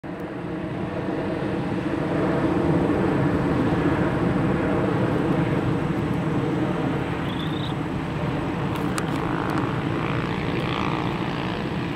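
A steady low engine-like rumble, like a passing vehicle or aircraft, fills the recording with no clear animal calls.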